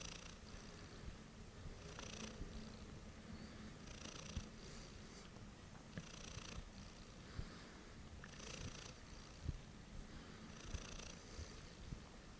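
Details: Heliana the cat purring late at night: a continuous deep rolling purr, with soft breathy hiss bursts recurring about every two seconds as she breathes in and out, recorded close indoors.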